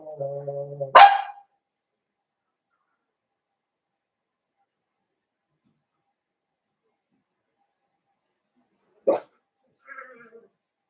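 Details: Blenheim Cavalier King Charles Spaniel puppies, a litter of five born at New Year to Paris and Spike, in an indoor puppy pen: a brief whine leads into one sharp bark, then a second short bark and faint whimpers after silence.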